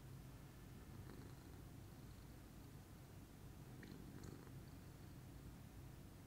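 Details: Low continuous purring from Pudding, a lilac Scottish Fold cat at ease in the morning, rhythmic and rumbling, with a couple of faint clicks and light rustling above the drone.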